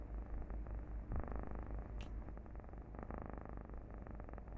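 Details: Recorded purring of a domestic cat used in a meditation, said to make listeners feel calm and satisfied; continuous low rumbling purr with fast regular pulses and occasional louder swells and faint clicks.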